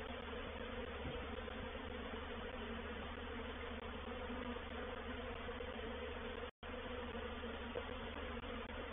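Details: Reproductive swarm of honey bees moving into a bait hive (swarm trap) at Painted Peacock Manor on 04/07/21; a dense, steady droning hum with low layered tones, unbroken apart from a brief dropout near six and a half seconds.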